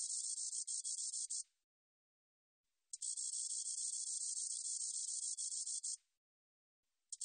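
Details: Spotted meadow katydid recorded in Korea in 2020: a dense, high, hissing buzz of rapid pulses in long bursts, about 1.5 and 3 seconds each, separated by clean silent pauses, then a third burst just starting.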